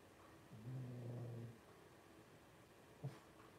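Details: Blenheim Cavalier King Charles Spaniel puppy, twelve days old and from a litter of five, gives a soft, low, humming grunt for about a second, followed later by one brief faint squeak-like blip.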